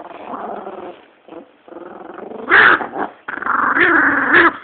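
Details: Female chihuahua guarding her bone, growling as a person reaches for it; broken rumbling growls rising into louder, harsher snarling bursts toward the end.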